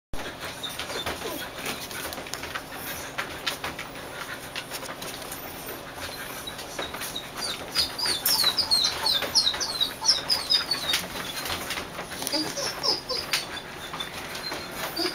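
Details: Three-week-old puppies in a dog show trailer give a burst of thin, high squeaky whimpers clustered in the middle, over steady rustling and scratching with a faint continuous hum.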